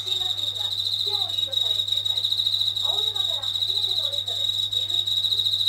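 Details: Night song of a Japanese katydid that has stayed near a kitchen ceiling for days, unafraid of people and louder at running tap water. An unbroken, sizzling high-pitched buzz, with soft lower squeaky sounds and a constant low hum.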